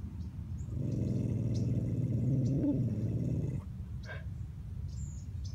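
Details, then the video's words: Truman, a Bichon Frise dog, gives a fierce, low, rumbling growl lasting nearly three seconds, a steady buzzing snarl that stops abruptly and is followed by quiet room noise with faint clicks. "Fierce growling Bichon TRUMAN"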